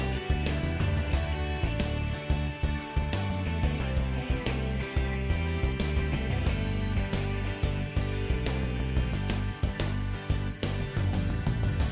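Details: Steady rock-style music with plucked guitar and a driving beat plays throughout; no animal sound is heard.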